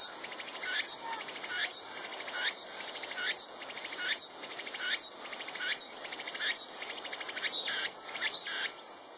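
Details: Tsukutsukuboshi cicada, last of the season's cicadas to begin calling, repeats a harsh, rasping pulse a little faster than once per second, each ending in a brief bright flare, above a constant shrill background drone.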